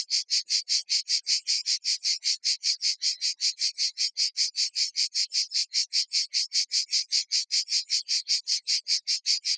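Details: Provençal cicadas near Vaison-la-Romaine, heard in the evening, sing in a loud, steady stream of raspy pulses, about two or three every second.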